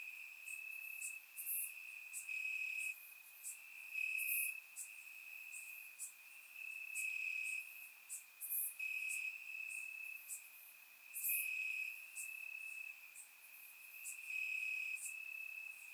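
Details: Warm summer night in Bulgaria with crickets chirping in the grass, surround-microphone recording: an unbroken high-pitched trill underlies rhythmic, sharper chirps recurring every second or two, no other sounds intruding.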